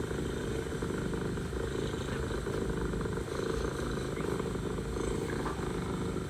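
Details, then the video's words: Mother cat purring to her kittens, a dense low throb pulsing steadily throughout with only slight dips in loudness, set against a continuous low background rumble. "Mother cat purring, mother cat talking to kittens"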